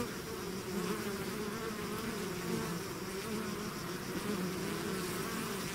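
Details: Bees swarming out of their hive make a continuous, thick buzzing hum of countless wings, layered low tones wavering slightly in pitch without pause, with a faint high hiss above.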